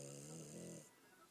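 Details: Sleeping French Bulldog Gomashio giving the tail of one rasping, harmonic snore that fades out after under a second, then near silence.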